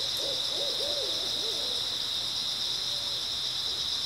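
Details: Grass insects on an early autumn night: a steady, shrill, unbroken high trilling chorus runs throughout, while a few low, wavering hoot-like notes sound in the first two seconds.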